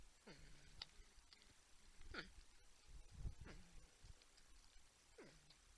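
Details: Porcupines humming and grunting at a Texas wildlife camera in San Angelo, with a buck and a raccoon present: four downward-sliding whiny hums separated by low thuds and rustling.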